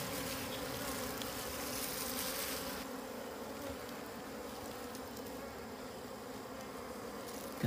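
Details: Steady droning hum of wild bees at a concealed wild honey site; loud rushing hiss covers the first few seconds, then the buzz continues alone, low and even, with a faint higher overtone.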